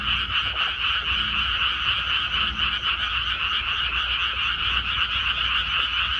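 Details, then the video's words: A rice field after transplanting, full of calling frogs; overlapping croaks form a constant, even wall of sound in two bands, gently pulsing, with low rumbling noise underneath. "개구리 우는 소리"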